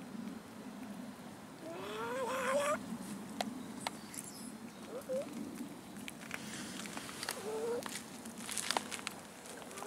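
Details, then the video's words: Abandoned cats in a city park begging for food: three rising, whining meows spaced a few seconds apart, over steady low human voices talking nearby and occasional sharp clicks. "ABANDONED CATS IN OUR CITY PARK BEGGING FOR FOOD"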